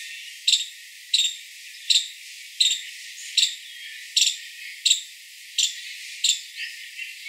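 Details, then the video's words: Five-striped palm squirrel chipping: nine sharp, high notes spaced about 0.7 seconds apart, fading slightly toward the end. "Five-striped Palm Squirrel Sound"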